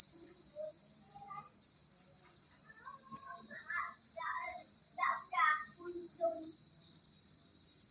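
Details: Crickets chirp through a rural night as a continuous piercing high trill, overlaid midway by a cluster of louder, lower chattering chirps and short warbled notes.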